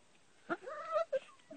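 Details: Puppy whining beside its mother at home, one wavering nasal whine between short clicks and scuffles, faint background hiss.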